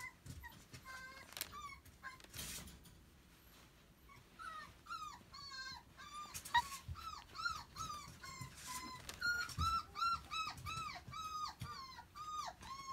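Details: Energetic, people-loving puppy seeking attention indoors, starting with a few soft yips and rustling, then breaking into rapid high, bending whines, almost three per second, in a small room.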